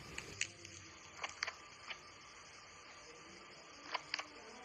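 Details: A pet domestic rabbit grinds its teeth in scattered, dry clicks and crunches; teeth grinding can signal pain, illness, fear or happiness, and heavy grinding warrants a vet visit.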